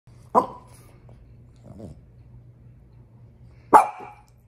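A French Bulldog gives two sharp, abrupt barks about three seconds apart, upset over her toy.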